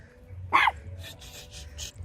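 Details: Chihuahua giving one sharp, loud bark with a strong harmonic stack, then quieter scattered noises and a low background rumble.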